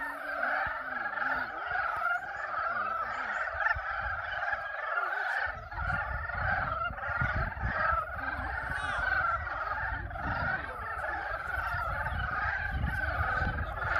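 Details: Spring frogs calling to mate at the pond of Yulgok Arboretum: a dense, unbroken chorus of overlapping croaking trills in two steady bands, with a low rumble of wind or handling noise joining after the first five seconds.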